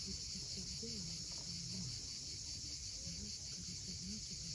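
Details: Cicadas at sunset by the sea at Cape Fiolent, Crimea, sustain a bright constant buzz; below it, short low warbling and sliding notes come and go against the steady rush of waves.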